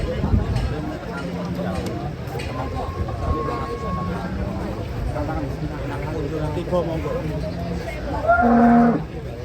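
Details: Huge cattle being unloaded from a tilting truck. Low, drawn-out lowing runs beneath steady chatter of voices, then a loud, strong moo swells near the end before fading.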